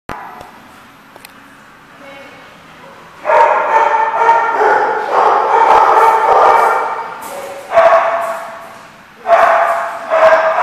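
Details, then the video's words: Dogs at The Barking Lot, recorded 19 January 2015, break into bursts of dense, overlapping barks and yips after a quiet opening, with pauses between the loud bouts. "The Barking Lot"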